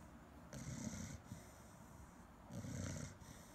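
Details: A Chow Chow asleep and snoring: two coarse, low rumbling snore breaths about two seconds apart over a soft hiss.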